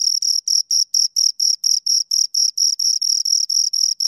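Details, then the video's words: Close-up chirping of two crickets, crisp high-pitched scraping pulses about four per second in an unbroken even rhythm. "Two Crickets Chirp Sounds for Two Hours Right on Your Ears"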